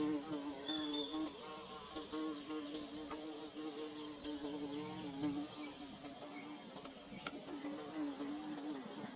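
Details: A continuous, fluctuating bee drone while the insects build their nest, pitch bending slightly as they fly past, with brief high chirping whistles in the background at the start and again near the end.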